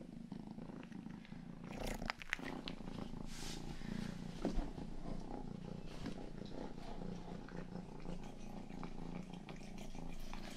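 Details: Soft, continuous low purring from Rang-i, the youngest house cat, a calm even rumble with a few brief licking and rustling sounds near the start.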